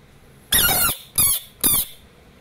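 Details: Asian bullfrog screaming in a quiet indoor room: three loud, harsh, broadband screams in quick succession, the first lasting under half a second and the next two shorter, separated by brief pauses.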